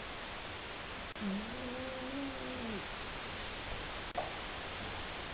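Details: A single long, wavering snore from Seven, a sleeping male cat, stretching nearly two seconds and sinking at its end, heard over constant low hiss with two faint ticks.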